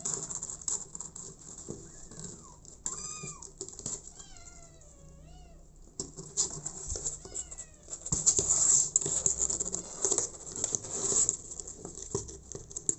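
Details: Abandoned kitten taken in by mother cat Smokey, crying in a run of high, wavering meows, several in quick succession, then fading into rustling and scratchy handling noise.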